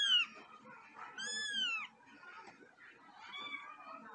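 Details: Angry domestic cat, Luna or Simba, producing a brief cry then a longer arching wail of about one second, followed by quieter murmured sounds and room noise.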